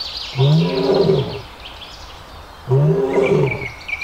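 A lion gives two deep, throaty roars, each lasting about a second and falling in pitch.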